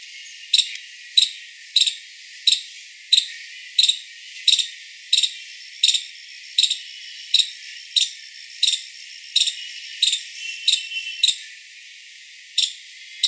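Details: Five-striped palm squirrel calling with sharp, high-pitched chips repeated steadily about every 0.7 seconds, roughly eighteen in a row, over a quiet background.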